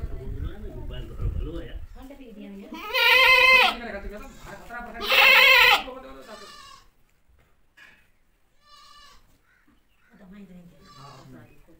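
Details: Mother goat calling to her baby, with murmured human voices at first, then two loud harsh quavering bleats about two seconds apart, followed by several fainter, shorter bleats.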